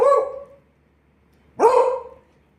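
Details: Pet Beagle barking on command during a home barking lesson: two drawn-out, harmonic bow-wow barks about a second and a half apart, the first fading out, in a quiet room with a person coaxing it in Tamil.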